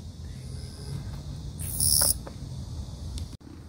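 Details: A male long-winged katydid sings from a grassy patch, a brief, intense high-pitched buzzing burst over low background rumble, and stops once it senses a person nearby.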